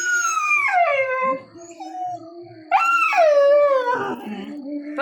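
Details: Chikku, a nine-month-old dog born on August 15, cries for his father, who left without him to buy meat. Two loud, drawn-out wails each slide downward in pitch, with a quieter whimpering stretch between them and faint background music.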